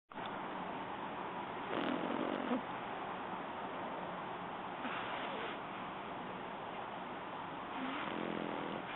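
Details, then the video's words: Maddie, a 14-week-old puppy, snoring while napping after a vet check-up, asleep in an upside-down puppy bed; soft, raspy breathy snores recur about every three seconds over a steady background hiss. "Maddie Snoring"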